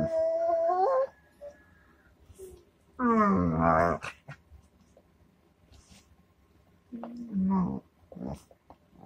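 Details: Dog producing a series of drawn-out, tonal whining moans. Each lasts about a second, slides in pitch and ends in a rising or falling bend. They are separated by a few seconds of near-silence.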